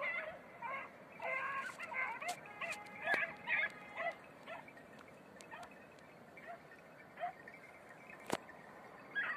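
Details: Beagles, red-blue tick and lemon-white, on a hare training run in Crete, Greece: a series of high, wavering yelping bays repeated at an uneven pace, fading toward the end, with wind noise in the background.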